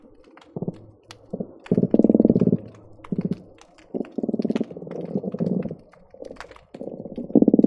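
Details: A hydrophone at the Marina Drive bridge between Long Beach and Seal Beach picks up croakers giving low, grunting drum bursts of rapid pulses in irregular runs. Possibly garibaldi pops are also present.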